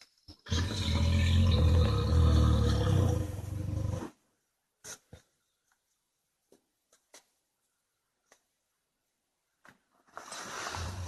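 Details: Grizzly bear growl played back from a website: a deep, loud rumbling growl lasting about three and a half seconds, strongest low down, then near silence with faint clicks before another low growl begins at the end.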